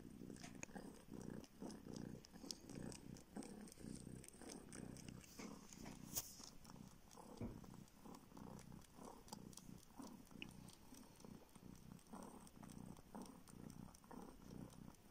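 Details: Steady low purring from a male baby kitten sucking a finger for milk, a rescued street cat now in a northern Siberian village, with faint wet suckling clicks over the continuous rumble.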